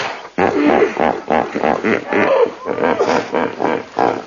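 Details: Hippo calling in a steady string of throaty, pulsing grunts, each a rough, honking burst repeated a few times a second without pause.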